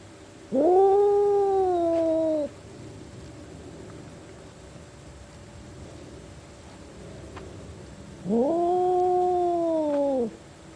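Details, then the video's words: Two long, deep meows from a cat, each about two seconds, rising briefly and then held as a steady low wail, separated by roughly six seconds of quiet. "Cats Make Funny Noises"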